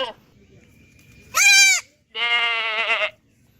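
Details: Two goat bleats in quick succession: first a shrill, high-pitched cry, then a longer, lower, trembling bleat.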